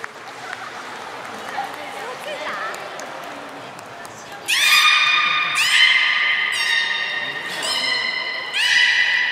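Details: Captive beluga whale at Port of Nagoya Public Aquarium on 3 February 2019, feeding and play time: after murmuring visitors, a run of sudden bright harmonic squeals, each sustained about a second, four bursts in close sequence.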